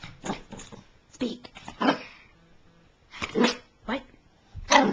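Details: Female Chihuahua doing tricks indoors, excited and anxious after ten minutes of training, barking when told to speak: short sharp yaps in irregular bursts, interleaved with a person's spoken commands.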